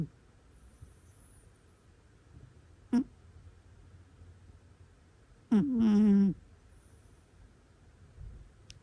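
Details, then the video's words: Sleeping domestic cat snoring indoors: a short nasal snort, then after a quiet pause one longer, droning, tonal snore with a slight wavering whistle, in a quiet room. "猫いびき Cute Cat Snoring Sounds"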